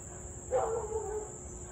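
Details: Husky in Louisville on 3 August 2021 at 6:24 pm, barking and howling almost nonstop for about half an hour; one brief harmonic yowl that sags slightly in pitch, set against a constant shrill insect chorus.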